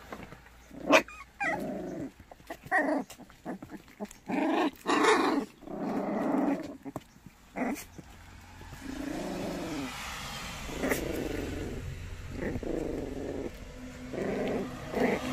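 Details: White puppies in Cheongdo, Korea, part of a group of seven white dogs for adoption, growl and yap while playing: low rough growling bursts and short barky yelps, with a faint steady hum behind.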